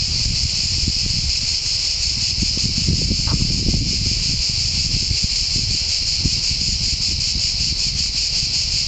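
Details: Cicadas in a pine forest at San Sostene (CZ), Italy, giving their deafening song: a dense, high, continuous buzz with a fast, even pulsing throughout. Low rumbling noise, like wind or handling, sounds underneath.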